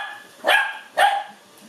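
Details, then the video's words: Cookie, a five-month-old Lhasa Apso puppy, reacts to an Ecovacs Deebot robot vacuum met for the first time: two short, sharp barks about half a second apart, each rising then falling, over a faint background hum. "Lhasa Apso Puppy Meets Robot Vacuum for the First Time"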